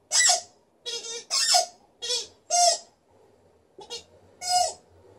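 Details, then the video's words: Liza the Alaskan Malamute, a female in good spirits, gives a lively vocal show: a quick run of short harmonic yowls, some rising and falling in pitch, then a pause and two more cries. "Alaskan Malamute is howling and then squeaking with her toy"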